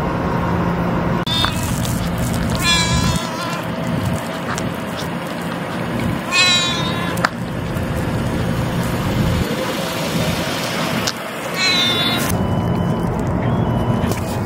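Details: Ear-tipped stray cat during feeding, vocalizing while eating after another cat threatened it; three bright, brief meows about every four to five seconds amid loud low rumbling and outdoor noise.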